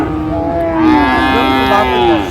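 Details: Friesian or crossbred bull calf at the Raniganj cattle market in Dinajpur, Bangladesh, on 24 April 2025, giving a long, steady, harmonic moo that swells slightly midway and holds to the end, with a faint murmur of the market behind.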